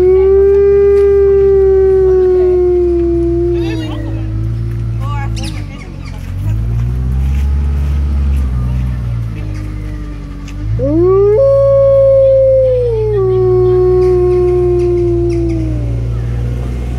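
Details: A captive Arctic wolf (Melville Island wolf) at Artis Zoo in Amsterdam, Netherlands, gives long, sustained howls that drift gently downward and fade, then one sweeping sharply upward and levelling off, over a steady low hum.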